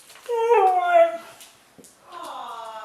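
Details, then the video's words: Siberian Husky Mishka, a female, indoors, prompted to say hello while showing puppy Laika how to talk: a drawn-out, richly harmonic howling 'hello' that slides downward for about a second, then a second, steadier moaning vocalization after a short pause. "Cute Talking Huskies - Mishka & Puppy Laika"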